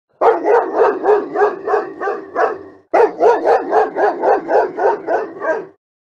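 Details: A large dog barks rapidly and steadily, about four harsh barks per second in two long runs separated by a short pause, with no other sounds.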